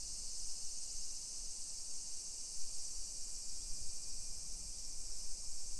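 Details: Summer cicadas in a hillside residential neighbourhood of Nisshin, suburban Nagoya, Japan, at 1 PM on 28 July 2021 keep up an unbroken, shimmering, steam-like hissing buzz. Low street rumble and footsteps sit underneath.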